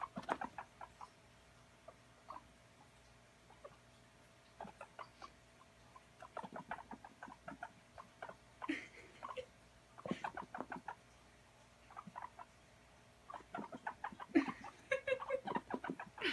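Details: Pet guinea pig running around during playtime, with soft clipped chut notes in loose runs separated by quiet gaps and a few brief human voice sounds in between.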